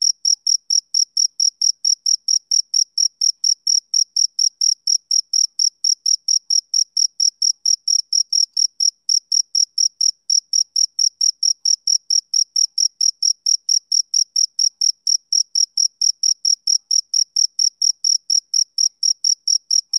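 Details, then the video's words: Steady rhythmic chirping of a male cricket on a summer evening. Sharp, high chirps repeat about four times a second without pause over a silent background. "Cricket Chirping Sound Effect"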